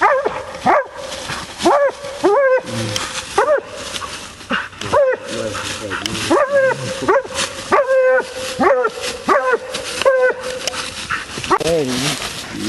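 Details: Female Bluetick Coonhound on a coon hunt gives loud, choppy, rising-and-falling barks at irregular intervals. A sustained droning note runs underneath, and a lower voice briefly mixes in near the end.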